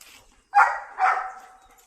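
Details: German Shepherd from a pack in Bengaluru giving two sharp barks about half a second apart, the second trailing into a drawn-out tonal whine, on a quiet background.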